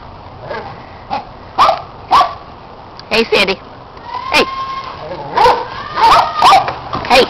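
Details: Dogs at play with a red Kong toy, Orphy and Sandy running and chasing, Peg supervising, neighbour dog Riley adding noise; irregular yips and barks scattered through the clip, with a person calling out between them.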